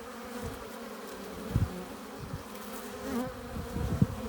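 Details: Honey bee hive entrance with foragers bringing in pollen and nectar; a low, dense droning buzz, punctuated by several loud close passes of single bees around one and a half and four seconds.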